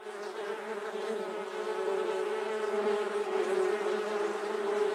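A bee buzzes close by with a steady, droning hum that wavers slightly in loudness.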